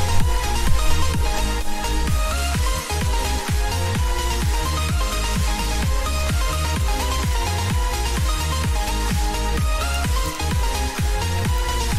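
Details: Loud electronic dance music with a driving bass beat near two pulses per second and dense synth layers throughout; no animal voices stand out.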